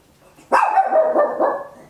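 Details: Papillon, a tiny dog, barking very loud at home, recorded in stereo on an Olympus LS-11: one drawn-out, wavering bark that stretches over more than a second and slowly fades, with no other sounds.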